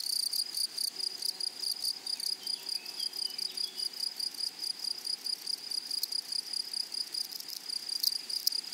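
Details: Grasshoppers in a flowery meadow keep up an unbroken shrill, rapidly throbbing trill, with occasional sharper clicks and a few faint, brief, lower chirps in the background.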